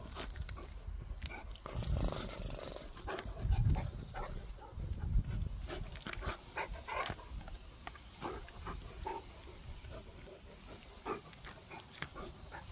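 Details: Pet dog Gorlock The Destroyer, eating and playing, gives deep throaty grunts and rough panting breaths, with louder rumbling surges around the middle and clicks and chewing-like snaps throughout.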